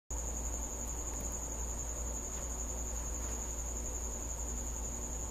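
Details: Cricket visiting a house at night, giving a steady, unbroken high-pitched trill that holds one even tone throughout, over a constant low rumbling hum.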